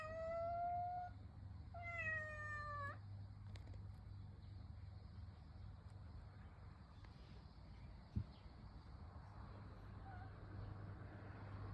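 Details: Calico cat in summer giving two clear meows, the first a level drawn-out cry, the second rising then falling, over a steady low hum, with a faint click later.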